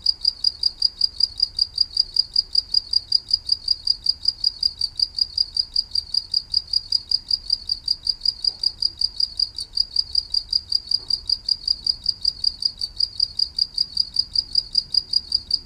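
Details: A green maeng tao thong insect calling like a cricket: continuous high, piercing pulses in a regular beat of about four per second, with two brief soft knocks partway through.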